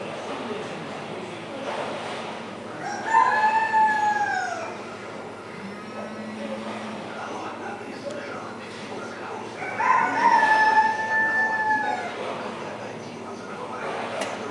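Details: A seal at the Veles quarantine centre gives two long, wavering cries that slide downward, several seconds apart.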